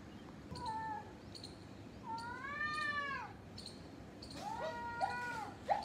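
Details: Fight between a gray tabby and a ginger cat, heard as low moaning yowls that swell and bend, a short one first, then a long wavering howl, then overlapping tense wails near the end.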